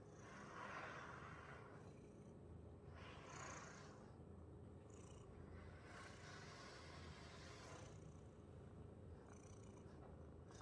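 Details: Domestic cat purring while being brushed indoors: a steady low rumbling purr runs throughout, overlaid by soft repeated swishing brush strokes about every two to three seconds.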